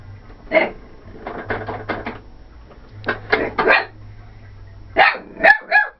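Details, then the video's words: A female corgi, upset at a vacuum cleaner, gives sharp, harmonic barks in quick clusters over a steady low hum. "Corgi Barking"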